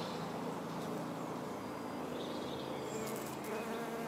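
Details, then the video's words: Red-bottomed bumblebee at blue-flowered California lilac (Ceanothus thyrsiflorus 'Italian Skies'), giving a steady low droning buzz with even harmonic hum throughout, a few faint higher ticks near the end. "Red bottom Bumblebee"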